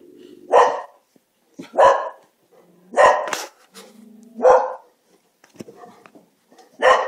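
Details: Dogs squabble with each other, each sharp bark landing roughly every second or so, while a low droning growl fills the spaces between outbursts.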